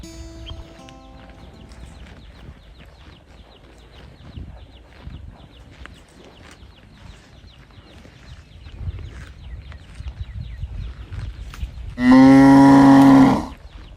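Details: Calf calling out as it searches for its mother; a long stretch of quiet farmyard rustling and faint clatter, then one loud, steady, harmonic bawl lasting about a second and a half near the end.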